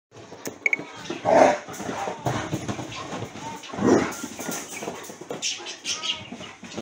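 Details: Rhodesian Ridgebacks play-fighting hard indoors after weeks of rain. Two rough, grumbling growl bursts about two and a half seconds apart, with scuffling, thumping movement and faint human voices in the room.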